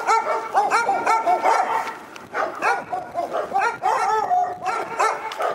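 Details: Relentless high-pitched barking from a dog at Pyrga: dense, overlapping yelps and yaps pouring out with hardly a pause throughout the five and a half seconds.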